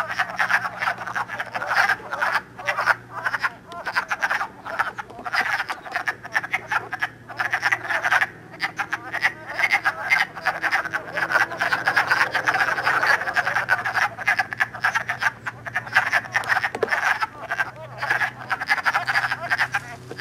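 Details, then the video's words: In Elmer, New Jersey, on 3 March 2012, many wood frogs call while mating early in spring; an iPod captures twenty seconds of unbroken, crowded clucking croaks, rising and falling in intensity over a low background hum. "Wood Frogs Mar 3, 2012"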